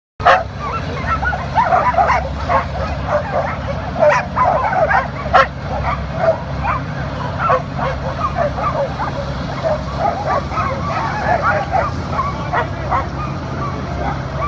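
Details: A sled dog team running on a powered outdoor mill, many dogs barking and yipping over each other in a constant overlapping chorus, backed by a steady low mechanical hum from the machine.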